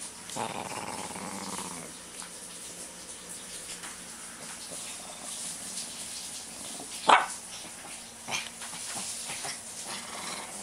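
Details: A hyper Shih Tzu releasing pent-up energy gives a brief, rough growling grumble, then one sharp bark-like snap amid quiet indoor noise.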